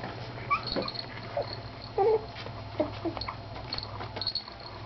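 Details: ['Three-week-old Miniature Schnauzer puppies playing indoors; scattered short high whimpers and thin yips, some rising, others falling, over a steady low hum.']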